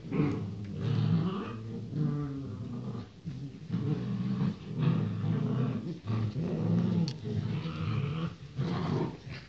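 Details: Male Rottweiler puppies, born 28 January 2016, give low, rumbling growls with a few whimpering notes throughout.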